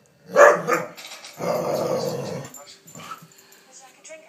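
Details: Former Palestinian street dog now living in Canada, playing wildly with a lamp shade, gives a loud rough growl-bark burst, then a sustained mid-pitched growling stretch and softer trailing grumbles.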